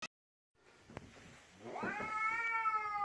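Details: Domestic cat blocking its owner on the stairs and staring intently: after a soft start, a long drawn-out meow swells from about 1.5 seconds, a rising then level wail with rich harmonics lasting to the end.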